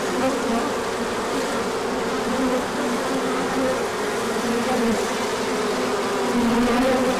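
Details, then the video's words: Many honeybees in a large orientation flight when the sun comes out after a colder spell; a thick, unbroken droning hum with individual wingbeat tones weaving slightly up and down. "Large Orientation Flight."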